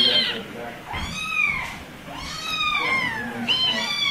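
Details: Kitten or cat mewing: three arched meows that rise then fall, each under a second, spaced roughly a second apart over a soft noisy indoor background.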